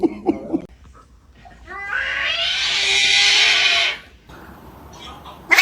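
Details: A cat lets out a harsh, rasping, drawn-out yowl lasting about two seconds, with brief knocks and faint indoor noise before and after.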